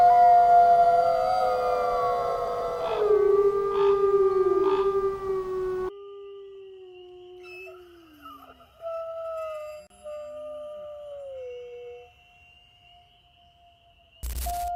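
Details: Black wolves, a large subspecies of the gray wolf found across North America, howling together: several long, smooth overlapping tones slide downward and hold, then fade to a single lingering howl with a faint hiss behind.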